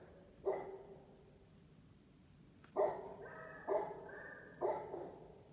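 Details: Beagle-Basset Hound mix dog; bark; barking at strangers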